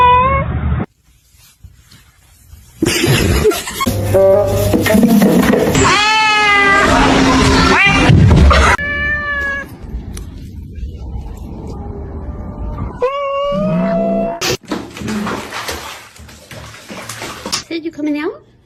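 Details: Cat from a cute pets compilation meowing repeatedly over music, several wavering, descending cries in a row, then a few shorter meows and a final rising squeak.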